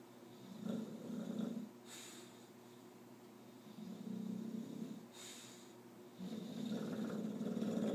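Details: A bulldog asleep and dreaming snores in slow rhythm, three long rough buzzing inhalations about two seconds apart, each followed by a brief hissing exhale.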